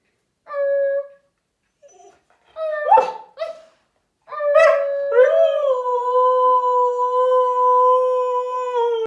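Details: A Siberian Husky, apparently reacting to its owner suddenly making weird noises, gives short yips and whines, then a long, steady, wavering howl.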